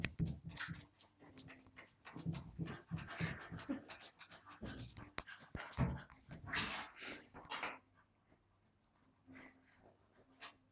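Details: Charlie, a wire fox terrier, plays indoors with an invisible ball. Heavy panting and snuffling mix with scrabbling and bumping noises, then fade to quiet breathing near the end.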